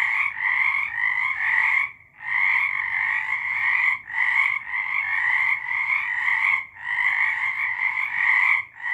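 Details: Many frogs singing in March 2023, a loud trilling chorus of fast repeated croaks in two stacked bands, with short quiet gaps near two, four, seven and nine seconds.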